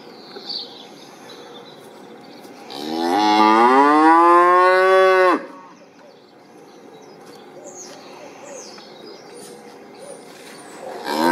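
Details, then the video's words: A single long cow moo of about two and a half seconds, rising then holding steady with strong harmonics, set between stretches of quiet background with faint distant chirps. "cow voice,សំលេងគោយំ"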